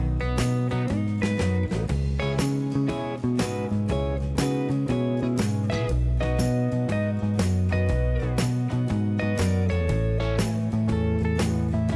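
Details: Strummed guitar music with a steady beat fills the recording, and no animal voices can be heard.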